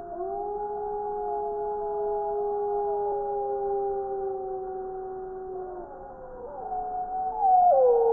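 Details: Several gray wolves in Wisconsin, December 2019, howl together in a chorus, long smooth tones overlapping at different pitches.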